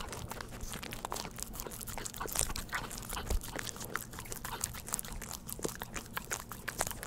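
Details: Pet dog eating a lickable treat indoors, wet smacking and licking with soft crunchy clicks repeated rapidly and irregularly, close to the microphone, no talking.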